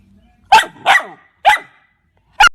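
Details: A dog gives four short, sharp barks within a couple of seconds, the second slightly drawn out, with clean silence between each.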